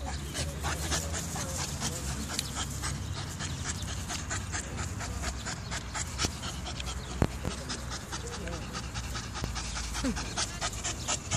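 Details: A Staffordshire Bull Terrier on its first time in the park pants quickly and steadily, with people talking softly nearby.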